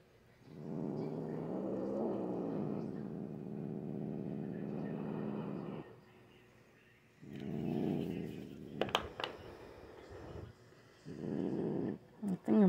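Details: Usually calm pet cat growling and hissing during nighttime nail clipping; three bouts of low, rough growling with a wavering pitch, separated by pauses, with sharp clicks and handling noises between them.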